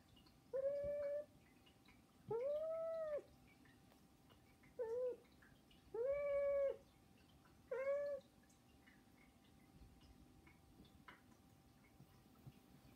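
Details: Pet domestic cats Saba, Hana and Mizore begging with meows: five clear, tonal cries, the longer ones arching up and down, spaced one to two seconds apart over a quiet indoor background without music.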